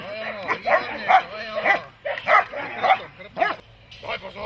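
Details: Dog, German Shepherd or Malinois, during protection training: uneven barks, some doubled, breaking off briefly before resuming, with human speech mixed in.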